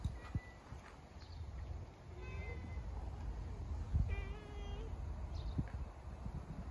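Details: Outdoor calico community cat calling while approaching once a person appears; two clear, drawn-out meows a couple of seconds apart, the second longer and steadier, over low rumbling background noise and soft footsteps.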